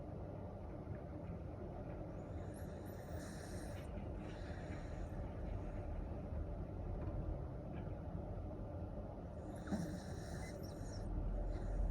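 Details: Low steady rumble with faint distant speech-like bursts near three and ten seconds; no animal sound stands out.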